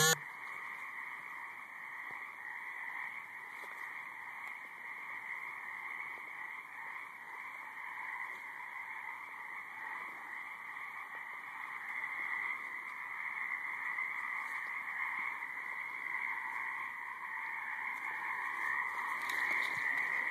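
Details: A dense chorus of frogs in a high marsh, overlapping trilling calls forming a steady wash of sound from many callers, with some buzzing noise.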